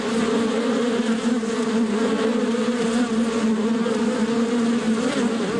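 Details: Natural bee buzzing, a dense, wavering drone with a thick, slightly rough texture, its pitch wobbling gently while the loudness stays full and steady throughout.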